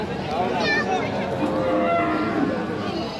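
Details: A lowing heifer calf, one of the Friesian and crossbred calves at Aftabganj market in Dinajpur district, Bangladesh, on 3 December 2024. A sustained, tonal moo sits amid loud human chatter and crowd noise.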